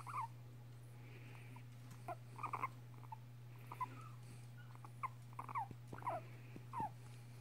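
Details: Pet female guinea pig, five and a half years old, squeaking while licking a man's nose indoors; short, bright squeaks come in scattered bursts, some in quick pairs, over a steady low electrical hum.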